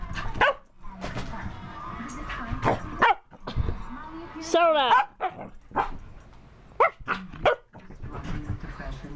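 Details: Freshly bathed dog letting out a single loud, wavering, warbled howl midway, between brief yips and a person's steady speech.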